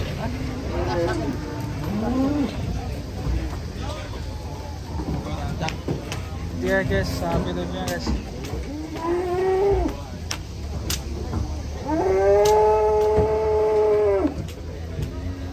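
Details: Cattle being unloaded, jumping down from a truck; several drawn-out moos, one long loud moo near the end, amid engine rumble, clattering, and background talk.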